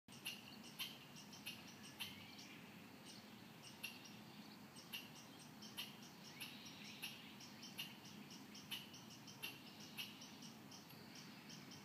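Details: Squirrel living in a tree beside a Muskegon alley, mimicking the sounds around it, possibly the bass music of passing cars: faint, sharp clicking chucks repeated irregularly about once a second over a steady low hum.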